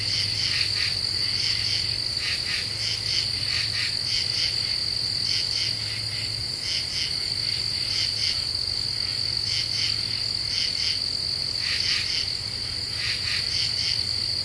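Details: Night chorus of common true katydids in Ozarks deciduous woodland, Eastern U.S., half moon, cicadas silent: rough buzzy pulses grouped in rapid clusters, repeating steadily, several singers overlapping over a continuous shrill tone and faint low hum.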